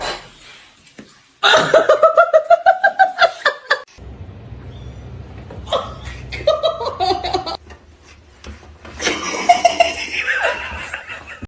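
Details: Hearty human laughter in bursts, chuckles and giggles fills a small indoor room, with brief quieter gaps and some speech.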